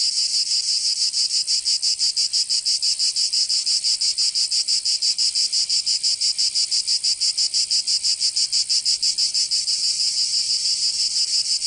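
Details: Cicadas singing in summer in Provence, southern France: a dense, loud buzzing drone pulsing about three times a second, steady and unbroken throughout, with no other sounds.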